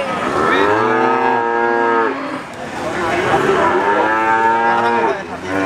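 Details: Crossbred Simmental calf giving two drawn-out, steady moos of about two seconds each, rich in harmonics and nearly level in pitch, with a brief gap between them.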